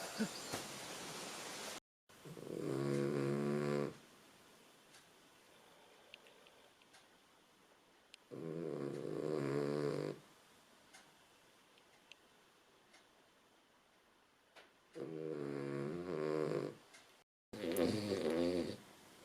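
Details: A female Cavalier King Charles Spaniel snores with slow, rasping, buzzy breaths every few seconds.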